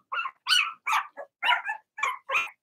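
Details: Cavalier King Charles Spaniel puppies, part of a six-pup Blenheim litter kept in a home puppy pen, letting out a quick series of seven small, harsh barks, a few rapid yaps each second.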